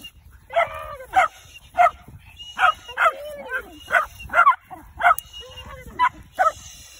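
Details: Dog in training to hunt tegu lizards yelps excitedly, about a dozen sharp, high barks spaced roughly every half second in an even, insistent rhythm.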